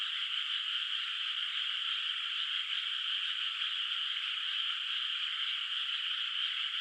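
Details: Distant frogs in a moonlit rice field at night, before rice planting, in the countryside: many overlapping high croaks merge into a steady buzzing wall of sound that barely changes in loudness.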